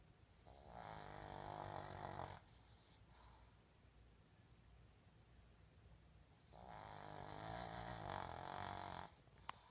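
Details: Pug snoring while asleep: two long, rasping, nasal snores, each lasting about two seconds, separated by several seconds of quiet breathing, with a brief sharp click at the very end.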